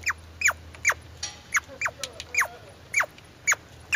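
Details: Rapid squirrel chirps, short downward-sweeping squeaks spaced about half a second apart, bright and clear over a quiet low hum, with a few softer noisy scratches between calls.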